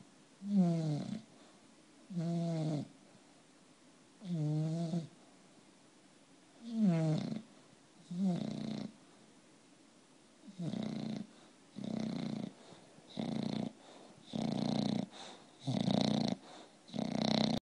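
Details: Sleeping bulldog snoring with low harmonic rattles at first about every two seconds, then quicker, shorter snorting breaths in the second half, all in a quiet indoor setting.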